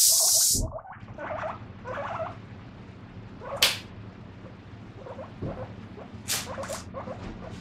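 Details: A guinea pig gives short, repeated squeaky 'pui pui' calls in quick little bursts while dishes are being washed.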